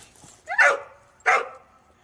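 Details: Cheondung-i, a dog just back from a walk, barks twice, two loud, abrupt yaps less than a second apart, in a quiet indoor setting.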